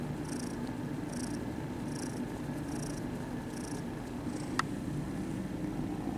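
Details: Kittens at a cat cafe purring as they are petted: an even low rumbling purr throughout, overlaid by a faint high hissing pulse repeating roughly every second and a single sharp click.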